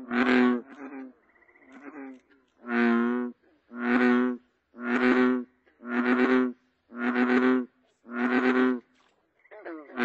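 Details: American bullfrog calling: a series of deep, droning, harmonic croaks, each about half a second long, repeated roughly once a second. The rhythm is fairly steady, with faint quieter notes between the louder calls.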